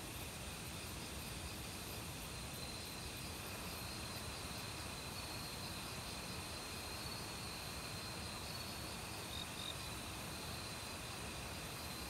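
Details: Autumn crickets chirring in a forest, calling loudly together with various other insects; steady high bands of trilling insect song over a constant wash of stream water, dense and unbroken throughout.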